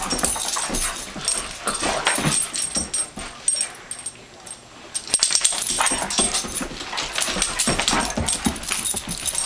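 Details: Pair of rescue Doberman Pinschers, ages two and nine, wrestling playfully on a Persian carpet inside a house; rapid rough growls and scuffles, a short pause near the middle, a person talking.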